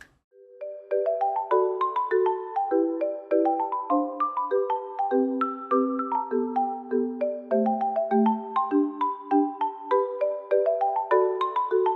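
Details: Bright mallet-percussion melody, like a marimba or xylophone ringtone, plays steadily throughout with no animal sounds heard.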